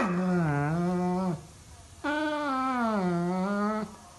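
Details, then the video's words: Labrador Retriever whining to wake its owner in the morning indoors: two long, drawn-out tonal whines, each wavering down then slightly up, the second longer, with a short pause between. "Dog Morning Alarm"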